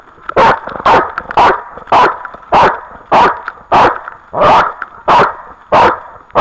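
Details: Dog barking in loud, broadband, regularly spaced barks, about eleven in six seconds, each short and harsh with strong energy around one kilohertz, clipped at peak loudness; faint background noise between barks.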